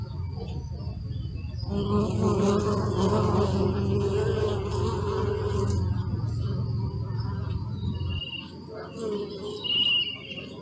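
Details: Bee buzz starting abruptly after a low rumble, a strong harmonic drone holding for about six seconds before cutting off, followed by quieter hum and a couple of short high chirps near the end.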